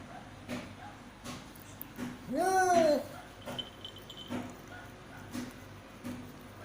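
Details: Cat giving birth to five kittens of different colours, indoors; one loud, tonal meow arches up and falls over about half a second, with soft clicks and knocks plus low room hum around it.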